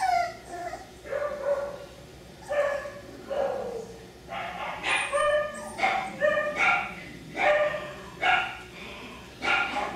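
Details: F1b Cockapoo puppies, three-quarters Miniature Poodle and one-quarter Cocker Spaniel, at Dyer Farms. Short, sharp high-pitched yips and barks, roughly one per second, mixed with whining, over a low hum.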